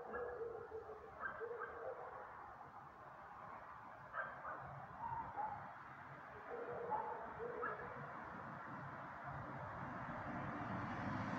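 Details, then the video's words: Several dogs barking in short, harsh bursts, some barks doubled, scattered irregularly across the recording over a steady low rumble of background noise. "Worthless mutts barking."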